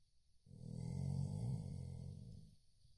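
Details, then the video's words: One drawn-out, throaty snore from a sleeping Chow Chow, swelling and fading over about two seconds, low and rumbling. "chow snoring"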